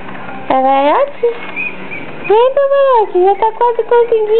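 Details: Yorkshire Terrier puppy, 60 days old, vocalising while trying to climb onto a couch indoors: a rising whine, a long arched wail, then a quick run of short high whimpers and yelps, mostly rising in pitch.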